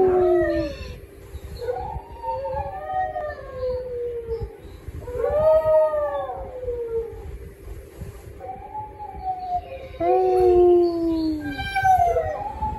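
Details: Pet dog howling in a series of long, wavering tones that rise and fall, each lasting a second or two with brief pauses between, overtones stacked above; a steady faint hum runs underneath.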